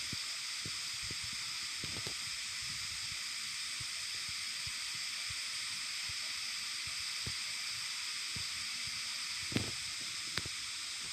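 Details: Cicadas calling in a rumbling chorus likened to an earth tremor. A dense, unbroken high-pitched hissing drone holds steady for eleven seconds, with a couple of faint knocks near the end.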